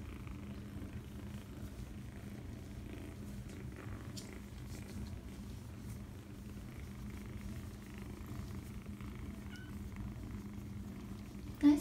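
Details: Foster kitten at seven weeks, indoors, purring steadily and low throughout, a continuous rumbling hum with no breaks; faint scratchy handling noises and a sharp short noise at the very end.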